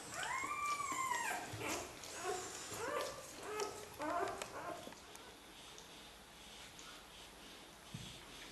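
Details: Xoloitzcuintli puppies of a first Swiss xolo litter whine indoors: a long arched whimper opens, followed by shorter squeaky cries over the next few seconds, then quiet room noise with faint rustles.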